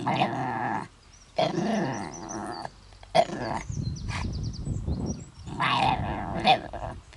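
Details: A pet dog named Mutley tries to sing with a very bad cough, recorded at Bredagh, Carrigallen, County Leitrim, in August 2016: a few hoarse wavering howls and a sharp cough, then quieter grunting breaths.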